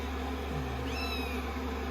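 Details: Rescued kitten on day 16, being dried with a dryer on a lap after a shampoo; one short high squeaky mew sliding upward then leveling, over constant dryer drone.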